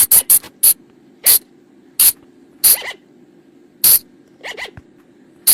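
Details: Sunda colugo (flying lemur, Thai bang, phung chong, pha chong), a forest call played at night to lure colugos: sharp, loud, hissy bursts at uneven intervals mixed with fainter double squeaks that rise and fall, over a steady low hum.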